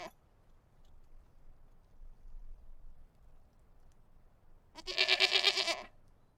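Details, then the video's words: Goat bleating outdoors: after a stretch of quiet low background rumble, a single harsh, nasal bleat of about one second with a wavering, pulsed quality sounds near the end. "Goat bleating, exterior"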